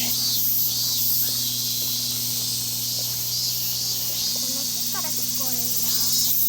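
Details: Summer cicada chorus at a temple in Japan's Tohoku region, Iwate and Miyagi, during a heatwave in 2023: an unbroken shrill, hissing buzz at constant loudness, with a person talking over it in the second half.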